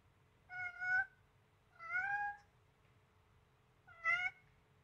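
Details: Blue-eyed Siamese kitten Selena, seven weeks old, playing with a duckling and meowing loudly; three strong harmonic meows in under five seconds, the middle one longest and drawn out, the last short and sharp, low hum beneath.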